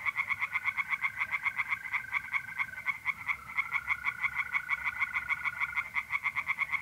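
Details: Several tree frogs sing from a pond on an April night in North-East Italy. An unbroken series of harsh pulsed croaks runs throughout, with a thin steady trill of mole crickets running alongside for most of the stretch.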